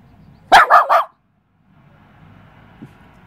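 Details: Westie confronting a mantis gives a rapid triple bark, three sharp, strong yaps in under a second, followed by quiet with faint low background hum and a small tap.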